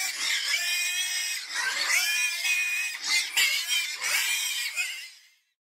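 Piglets squealing in shrill, harmonic bursts that rise and fall in quick succession.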